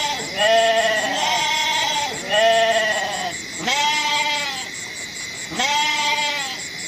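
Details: Goats calling in a series of four long, wavering, nasal bleats that follow closely one after another. Each call bends down at its end. A constant thin high whine runs underneath.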